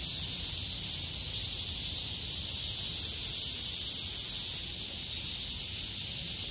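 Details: Cicadas that lived through the heavy rain call at full volume once it clears, 6 August 2020, forming a constant high hissing drone with a slight change in texture near the end.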